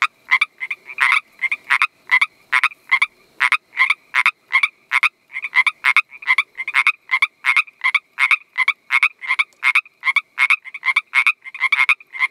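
Pacific treefrogs give quick, raspy two-part croaks, repeated several times a second in a lively chorus.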